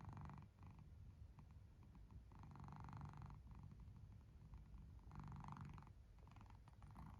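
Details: A sleeping domestic cat gives a low, steady rumbling snore-like purr that swells and fades in soft waves every two to three seconds, with short brighter breathy bursts on some swells.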